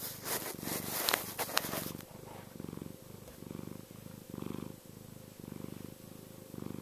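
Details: Contented purring from Chester the cat: after a brief burst of rustling handling noise, a low rhythmic rumble swells and fades with each breath, roughly two pulses per second.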